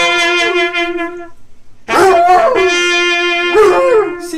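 A sustained trumpet tone opens, then a dog's howl joins with wobbling pitch that rises and falls around the horn's note. A person reacts with brief praise afterward.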